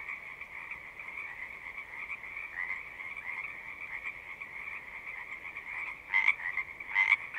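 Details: Frogs singing as a massed chorus, a constant high trilling drone, until two loud close calls burst out near the end, under a second apart, each bright and short.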